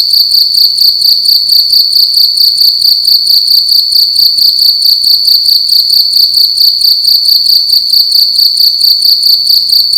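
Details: Loud cricket in a room during the night, producing an unbroken shrill trill made of fast, even pulses that hold the same high pitch throughout.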